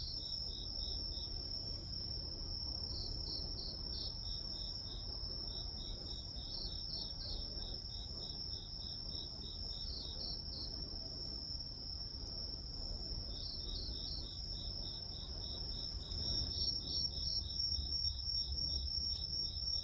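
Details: Grass insects singing at length: a continuous high trill holds steady while lower pulsed chirps come in runs of several beats, about three a second, with occasional gaps and a quiet low rumble behind.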